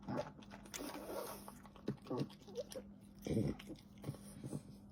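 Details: French Bulldog eating, with wet slurping and smacking clicks in quick irregular bursts and a louder, lower gulp-like burst near the end, over a steady low electrical hum indoors.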